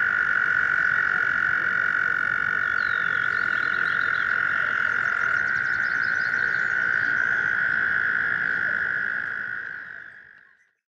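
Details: American toads gathered in a stream in spring, calling for mates: a dense, steady musical trill that fades out at the end, with soft bird notes in the background.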